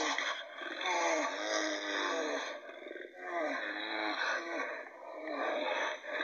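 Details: Brown bears in Finland roar and growl harshly as they fight, with rough voiced bursts rising and falling, an aggressive fighting call.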